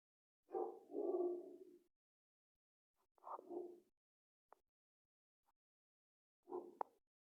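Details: Dog barking in three soft, drawn-out harmonic bouts spread across several seconds, with a few faint clicks between and silence otherwise.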